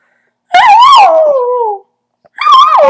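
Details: A ten-month-old dachshund howls in a high, wavering voice that rises, then slides down, followed by another howl.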